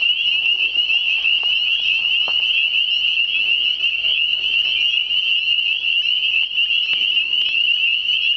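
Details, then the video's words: Hundreds of hidden frogs singing in spring around still water, the listener moving closer; steady, dense high trilling continues unbroken for several seconds, with occasional faint taps. "Spring Singing frogs"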